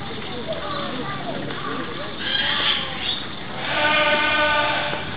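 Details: During a show at Edogawa Zoo, a South American sea lion cub lets out a loud, wavering bleat lasting over a second near the end, amid steady chatter from the watching crowd.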